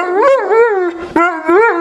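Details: Neapolitan Mastiff at home at night, settling down minutes after raging at the door at a lost visitor; loud, tonal, wavering howl-whines rising and falling in rapid succession, rich in harmonics.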